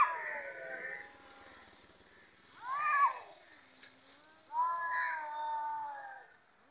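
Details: Cats ready to fight give low, drawn-out moaning yowls that swell and fade, with a sharper rising wail midway and a faint background hum.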